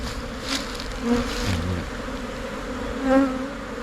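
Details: Asian honey bees (Thai cavity-nesting honey bee) splitting from their colony as a swarm and moving into a new hive box; a low, steady droning buzz with louder swells as single bees pass close, near one and three seconds.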